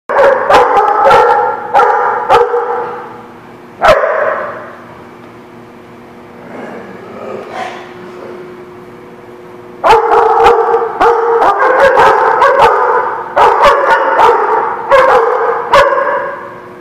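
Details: Dog barking on 6/2/17: loud bursts of sharp, harmonic barks come in rapid runs, fall quiet for several seconds in the middle, then resume as a dense string of barks to the end.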